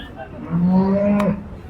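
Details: A large water buffalo bull at a cattle market in Chattiparamba, Kerala, India, weighing about five quintals, gives a single low drawn-out moo lasting under a second, with people talking nearby.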